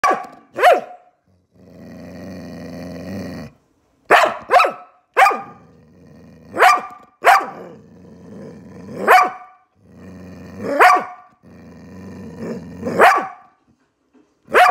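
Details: English Springer Spaniel playing with an Irish Blue Terrier: sharp, loud barks in quick pairs and singles about every one to two seconds, with low rumbling growls filling the gaps between bursts.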